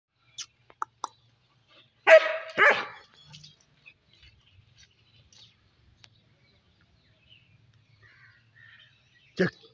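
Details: German Shepherd giving two loud, rough barks in quick succession, then mostly quiet with faint clicks and one short sharp sound near the end.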